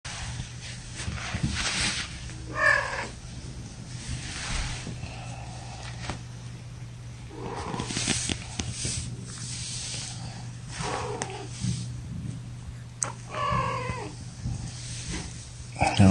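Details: Domestic kittens, a litter of five about three and a half weeks old from mother Gamora, held in a lap indoors; several short, high, wavering mews at scattered intervals over a steady low hum, with a person talking softly between them.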